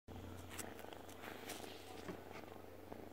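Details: A domestic cat purrs while sleeping peacefully. The purr is a low, continuous rumble with a fine buzzing texture and a faint background hiss.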